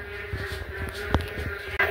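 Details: In the morning after rain since the previous night, a large chorus of frogs croaks from a rain-filled pit and pond in a garden, with short rough calls repeating over a steady hum.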